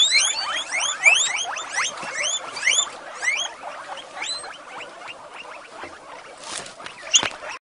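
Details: Female guinea pigs in a rescue shed, excited at breakfast time: many overlapping rising squeaky whistles, rapid and dense at first, thinning and softening toward the end, with a brief rustle and clatter near the close.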